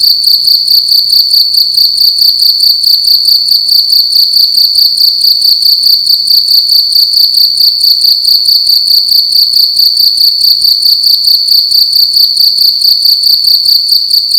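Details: At night in a room, a single cricket keeps up a loud, ringing, high chirp, finely pulsed and constant from start to finish, with nothing else audible.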